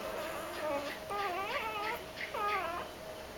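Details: Doberman puppies being woken for feeding squeal in short, arching whines that rise then fall, about three bouts in quick succession over a quiet indoor background.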